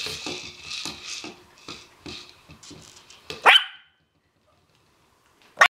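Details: Playful chocolate and white Havanese puppies romping together at home; a run of quick high yips and small barks at an uneven pace, ending in two sharp loud yelps separated by silence.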